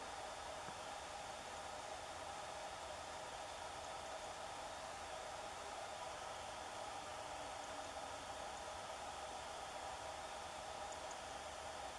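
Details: Only a steady, even broadband hiss like electronic or wind noise runs throughout, with no animal calls.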